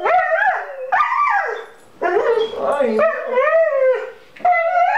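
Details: A dog reunited with its owner after six months cries like a child, a run of drawn-out wavering whines that bend up and down, separated by brief pauses, with a person's voice faintly underneath.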